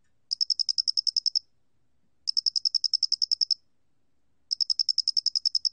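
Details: Sharp, high trilling chirps of a Doenitz's cricket from a 2020 National Institute of Biological Resources recording; three bursts of about twelve fast pulses each, spaced roughly two seconds apart, nothing else audible.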